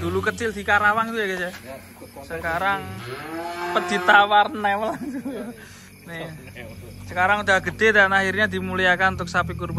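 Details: Huge cattle coming down off a truck during unloading in 2025, one sustained steady moo in the middle, surrounded by lively voices of people chattering over each other.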